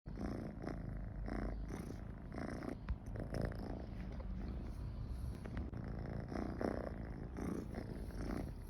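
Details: Domestic cat named Michi purring while comfortable near people, a steady low rumble pulsing in soft waves about every half second, with quiet breathy bursts between.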